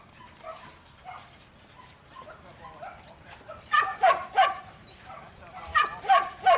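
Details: Barking from Buttons, a young male Border Collie in training: soft faint sounds at first, then two strong groups of three ringing barks each, spaced about two seconds apart.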